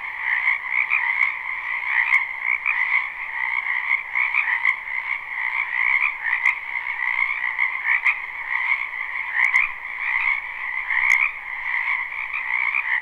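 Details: Many frogs croak together in a spring wetland, captured live with no loop: a constant bright trilling chorus over a lower pulsing layer, with scattered sharp clicks punctuating the otherwise seamless sound.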